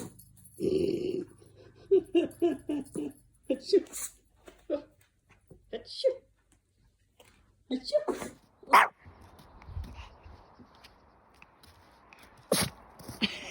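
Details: Two-year-old male Pomeranian dog indoors, sneezing: short sharp bursts break through, among scattered soft yips and a person talking and laughing nearby in a small room.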